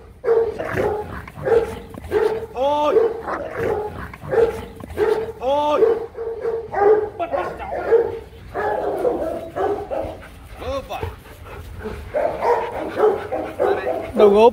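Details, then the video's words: Rottweilers from the Gervi kennel fighting after playing, possibly over jealousy or toys: rough, harmonic barks and growls in quick irregular bursts, with a man talking over them. "How to stop dogs just fighting"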